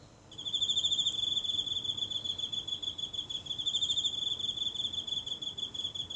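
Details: A lone insect calling nightly from the grass of a small home garden, recorded close up by mobile phone on a still night: a high, shrill, rapidly pulsing trill that runs almost unbroken, over a faint low hum.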